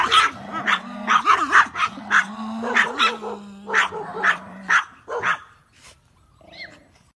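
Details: Dogs barking at each other through an open gate they think is closed; rapid harsh barks in bursts over a steady low growl, fading into a few last barks and a whine near the end.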